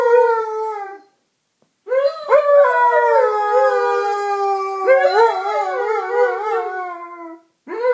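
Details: Two pet Alaskan Malamutes, Jazzy and Ben, howling: one smooth harmonic howl fading after a second, then after a short silence overlapping long, wavering howls that slide and hold for several seconds, with another howl rising at the end.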